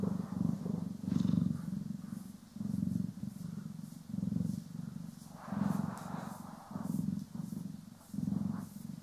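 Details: Domestic cats Poki and Kiwi purring while being groomed and brushed, recorded in stereo: a deep, steady purr throbbing in pulses about once per second, with brief soft brushing rustles over it.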